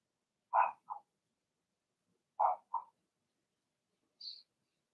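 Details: Blenheim Cavalier King Charles Spaniel puppies from Remy's first litter of six, born March 7–8, in an indoor home puppy pen: two pairs of short, mid-pitched barks about two seconds apart, then one faint high squeak.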